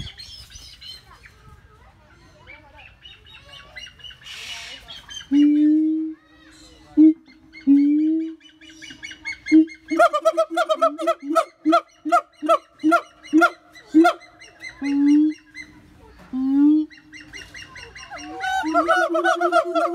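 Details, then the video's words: Siamang giving a long steady hoot, followed by a fast run of loud, evenly spaced harmonic barks and then more drawn-out hoots, with birds chirping faintly around it. "Voice of Siamang"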